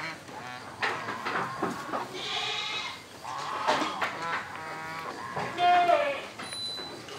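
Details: Young female Boer cross goat about four months old, taken out in the morning into a spacious sunny area; several short, wavering, nasal bleats with shaky rising and falling pitch, mixed with rustling and background noise.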